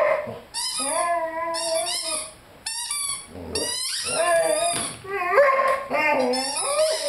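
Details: Lyle, a 5-month-old Rhodesian Ridgeback, howls with his squeaky chicken toy: drawn-out, steady mid-pitched tones lasting about a second each, overlaid by shrill, rapidly repeated squeaks from the toy, with a brief pause before wavering howls resume.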